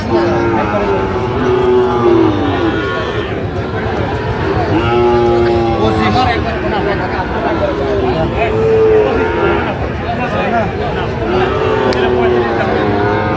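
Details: Sahiwal bull calves at a cattle market in Jamalpur, Bangladesh, on 31 August 2025: several drawn-out, steady mid-pitched moos about a second long, rising out of constant crowd chatter, men bargaining and vehicle hum.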